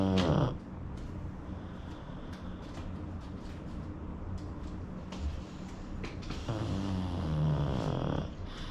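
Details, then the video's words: Sleeping pug snoring: steady low rumbling breaths with a droning low hum, a few brief clicks and louder snorts near the start and end. "Pug snoring"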